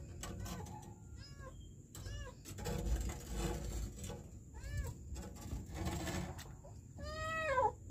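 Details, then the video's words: Kitten trapped in a sewer in Kenya giving repeated arched meows about every second, the last one longer and louder, over constant low rumble and scraping noises. "KITTEN trapped in the sewer"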